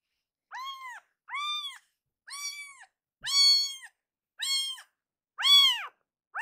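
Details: Loud crying from Akuro, a rescued kitten being fostered. Seven bright, arched meows repeat roughly once a second in a steady insistent series, each clear and harmonically rich against a quiet room.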